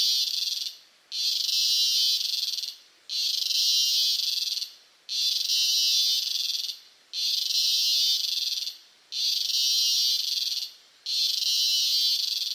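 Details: Cicada recorded close up in Costa Rica: loud, high, hissing buzz in steady bursts of about one and a half seconds, split by brief silent gaps, repeating roughly every two seconds, six bursts in all, no other sounds.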